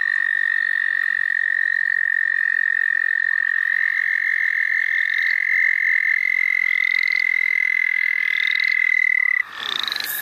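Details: St. Olaf College Natural Lands frog chorus heard while catching frogs: a long, continuous high trill dominates, with short upward chirps repeating above it and a sudden break just before the close.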